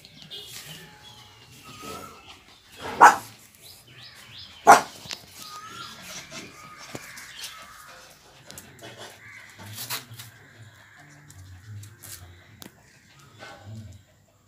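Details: Lhasa Apso puppies at play give two sharp, high barks in quick succession early on, followed by softer yips, whines and faint low grumbling over a quiet indoor background.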